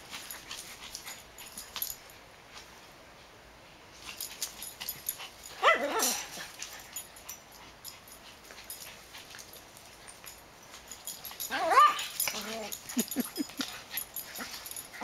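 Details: Max, a black dog, romping in a backyard with Ewok, a smaller dog. Two loud bursts of yelping, growly vocalizations arrive about six seconds apart, separated by scuffling and paw noise on the ground.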